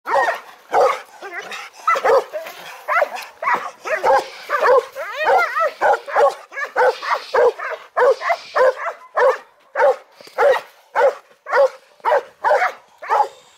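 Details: Belgian Malinois during bite training, barking in a steady series of sharp, harmonic barks roughly every half second for the whole stretch, with a brief whining squeal in the middle.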